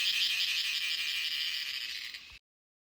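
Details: A cicada sings a steady, dense electric buzz in a coffee plantation in India, loud and unbroken before stopping abruptly.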